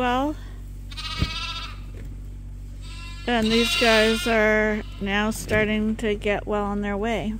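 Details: Bottle-fed lambs at Ewetopia Farms, getting extra milk beyond what their mothers give, start bleating after a quiet stretch with a low hum. Then comes a run of quavering, drawn-out bleats from more than one lamb.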